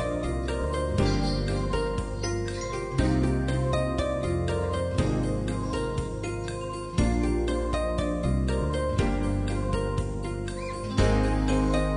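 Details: Jingling, bell-like music over a steady low beat, with loud accents every few seconds and no animal voice anywhere.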